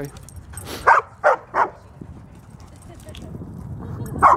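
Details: Barking at a dog park where a 75-pound female German Shepherd plays with a 110-pound male Doberman and a 135-pound male Great Dane: three short, sharp barks in quick succession, a fourth later, with quiet background murmur.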